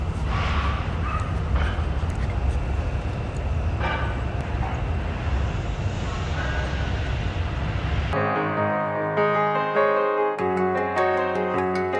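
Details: Steady rumbling traffic-like noise runs for about eight seconds before switching abruptly to plucked, tinkling music, with no barking or other animal sounds.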